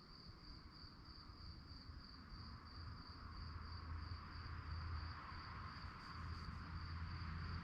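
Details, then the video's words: Night-time crickets keep up a continuous high, shrill pulsing chirp at an even pitch while a deep, swelling rumble grows slightly louder toward the end. "relaxing sounds of crickets"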